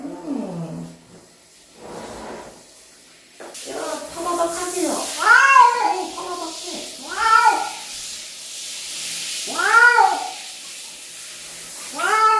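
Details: Domestic cat being bathed on a country-life day, yowling in a run of loud, arching meows, about five drawn-out cries rising then falling, with quieter broken calls and splashing water noise early on.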